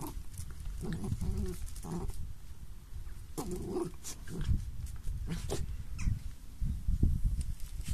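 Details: Small dogs in play growl in short, rough, low bursts separated by brief pauses, some carrying a slightly higher whining edge, mixed with scuffling noises.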